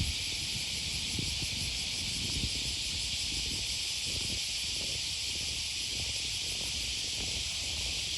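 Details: Cicadas on an August 2020 morning beside the Okawa River near Sakuranomiya Park, Osaka, Japan: a steady, unbroken high buzzing hiss fills the air while low footsteps and city rumble run underneath.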